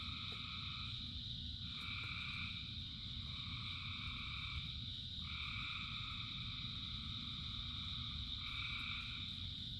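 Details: Thousands of frogs singing in the rain, a continuous high trilled drone with bands that switch on and off in long overlapping stretches, beneath steady heavy rain noise.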